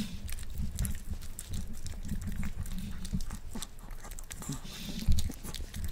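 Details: Male Miniature Pinscher eating a boiled egg for the first time, one egg in total: close, moist smacking and soft chewing clicks scattered irregularly over a low steady rumble, with no barks or other voices.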